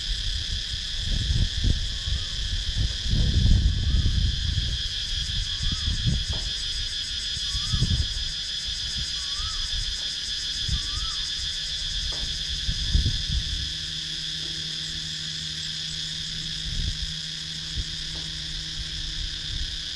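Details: Cicadas in wooded countryside at Sakon Nakhon, Thailand, drone in a steady, high, shimmering buzz, with low rumbles and faint whistled notes beneath.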